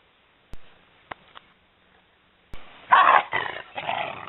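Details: Maremma Sheepdog puppies aged eleven weeks at play with their mother in a garden in September 2012. A few soft knocks, then a sudden loud rough bark-growl and two shorter growling bursts.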